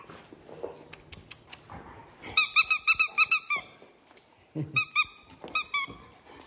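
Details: Injured female dog with a shattered, fractured leg and an infected wound, caged in an animal shelter in Mexico, yelping and crying for help. High, squealing yelps come in rapid bursts of several cries, then pause and resume, with soft knocks between them.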